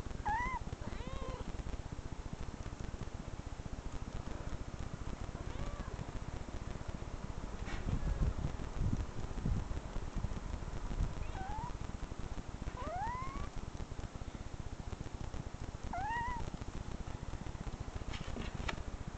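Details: Cat meows from online videos played to a reacting, growling dog; thin, sharply rising then falling mews scattered across the recording, spaced several seconds apart, over a steady low background hum.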